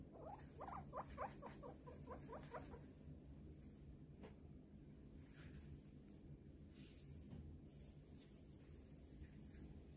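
A guinea pig gives a quick burst of short, squeaky rising calls, then falls quiet over a low hum.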